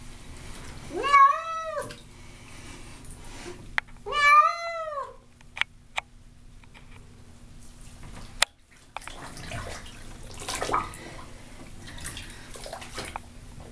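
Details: House cat Baby, not enjoying her bath, lets out two plaintive, arched meows close together early on, then quiet bathroom sounds, a few clicks and splashing water follow.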